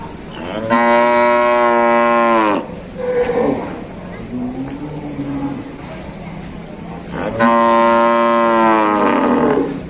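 A cow gives two long, loud moos, each a steady low bellow lasting about two seconds.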